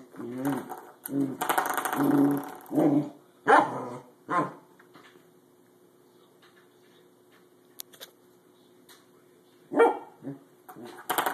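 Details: Trey, a corgi, reacts to a springy doorstop with a burst of rapid barks and growly yaps, then quiet with a faint steady hum, ending in a few more sharp barks.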